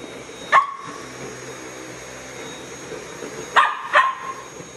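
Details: Samoyed puppy Casper barking at a vacuum cleaner: one sharp yap, a pause of three seconds, then a quick double bark, with a constant mechanical whine beneath.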